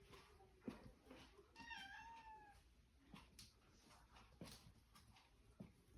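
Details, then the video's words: Domestic cat demanding access to the fridge indoors gives a single drawn-out meow that falls slightly at its end, amid knocks, clicks and rustling in a small room. "Cat demanding access to the fridge"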